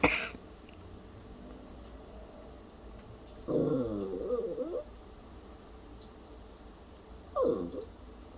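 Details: A puppy imitating a cough and seeming worried: a brief cough-like burst opens, then two separate moaning, wobbling vocal bursts, the first over a second long and the second shorter, against a low steady background hum.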